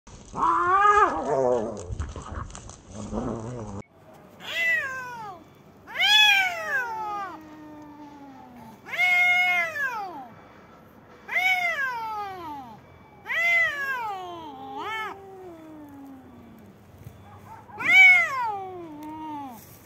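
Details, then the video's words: Two cats, a white cat and a black cat, fighting. Long drawn-out wavering yowls rise and fall, repeated about every two to three seconds, with a harsher noisy burst at the start. "One of the strongest fights between two cats, the white cat and the black cat"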